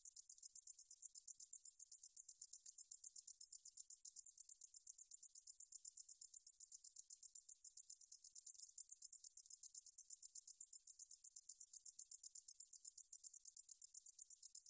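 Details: Katydid song, the species called 등줄어리쌕쌔기 in Korea, archived by the National Institute of Biological Resources in 2020: a long, uninterrupted series of high, sizzling pulses at a fast, regular pace, with a clean background.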